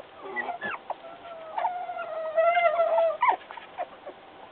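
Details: Puppy whining as it tries to escape: a long, wavering, nasal whine held for over a second, with shorter yelping whimpers before and after it.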